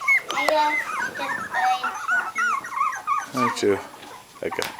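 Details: A litter of three-week-old puppies, eyes open, separated indoors; a run of high, wavering whines and squeals, many bent up and down in pitch, tumbles over one another with brief human murmurs.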